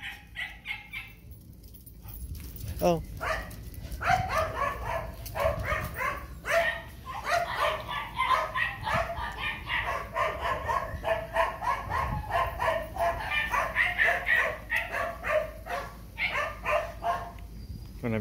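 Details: Phu Quoc Ridgeback dog meeting its long-unseen partner again, pouring out a dense, rapid stream of wavering whines and yelps, almost talking, broken by a few sharp barks, with a human voice faintly heard.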